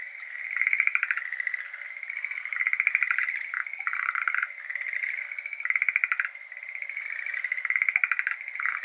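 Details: Schlegel's green tree frogs, endemic to Japan, calling in a flooded iris garden on a May evening; rapid rattling trills of clicky pulses, repeated in bursts about every two seconds, with overlapping callers and a soft background hiss.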